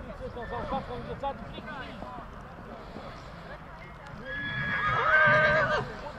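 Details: Stallions from Satu Mare shown in Bucovina, Romania, in 2022; a horse gives a loud harmonic whinny near the end, rising then held and wavering for about a second and a half, with voices and hoof clip-clop throughout.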